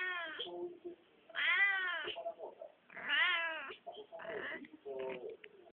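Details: Domestic cat giving a series of insistent meows, each a bright harmonic wail rising then falling, roughly one every second and a half, with shorter chirping mews between.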